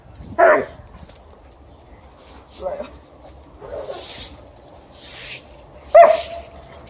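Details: Alaskan Malamute reacting to a broom it dislikes, giving short yelping barks spaced about two seconds apart, with broom swishes between them and a person's voice nearby.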